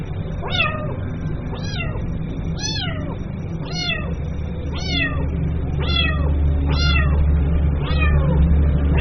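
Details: Young kitten meowing for its mother, eight short downward-sliding cries at roughly one-second intervals, fairly even in rhythm, with a low rumbling hum underneath.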